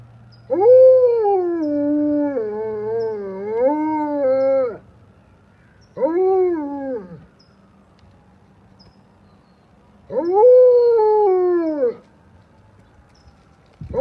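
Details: Alaskan Malamute joining fire trucks in a howl: three drawn-out howls, the first long and wavering with rising and falling pitch, a short second one, and a third that arches up and slowly sinks.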